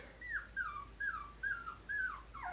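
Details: Squealing Poodle puppy from Tigre's two-week-old litter of five, brindles and parti-colors, producing five clear whines, each starting high and gliding down, spaced about half a second apart over a quiet background.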